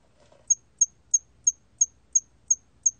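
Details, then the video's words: Hairy cricket from Korea's National Institute of Biological Resources, 2020 recording: a clean series of eight short, high, pure chirps spaced about every third of a second, with a faint low murmur just before the first. "털귀뚜라미, 1번 듣기, 곤충소리"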